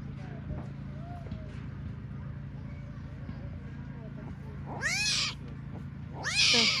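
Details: Tiger cubs left by their mother, Taigan park, Crimea: after quiet background murmur and hum, two sudden loud, rising-falling squalling cries about a second and a half apart close the stretch.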